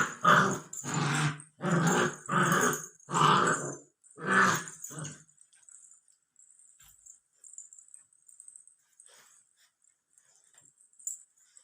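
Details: Labrador Retriever puppy, 64 days old, giving six short, rough growling bursts in quick succession over about five seconds, followed by near silence with faint ticks and a steady high hiss.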